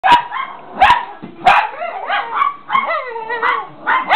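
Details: Several excited pet Chihuahuas yipping and barking, short sharp barks mixed with wavering, rising-then-falling whiny yelps in quick succession, about one to two calls per second, loud and close.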